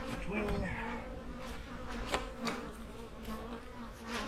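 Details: Autumn honey bee hives hum steadily, a droning buzz holding even tones with layered overtones, and a few brief louder passes of single bees cutting through.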